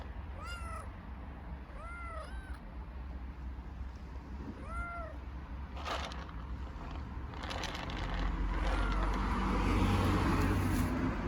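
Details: Hungry stray kittens living on the street in Istanbul meow loudly. Three clear, drawn-out meows rise then fall within the first five seconds. Traffic-like noise and a steady low rumble swell afterwards.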